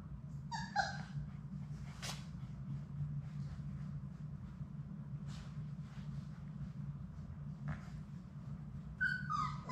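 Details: Labrador Retriever puppies, six pups of Sadie's litter, playing in their indoor play room: short high whimpering yips burst out at the start and again near the end, with paw scuffles, scratching and a steady low hum between.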